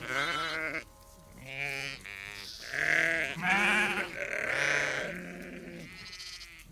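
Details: Sheep farm flock of about 30 to 50 ewes and lambs communicating: dense, overlapping wavering bleats, loud throughout, some low and hoarse, others higher, fading slightly at the end.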